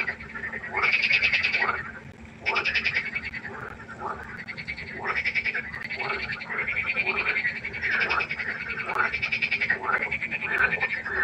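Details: Frogs at a pond after dark, croaking in rhythmic bouts of rapid pulsed calls about every one to two seconds, several animals overlapping into a lively chorus.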